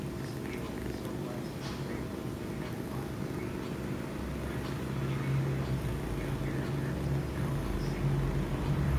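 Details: Chinchilla cat named Oreo, with its tail in focus, gives a low, steady purr of rapid rumbling pulses, swelling slightly louder in the second half over faint background noise.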